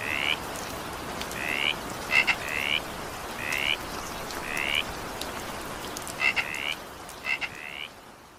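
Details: Rising frog croaks repeat about once a second during evening rain, with a few quick clicking notes mixed in and rain hiss throughout, fading slightly at the end.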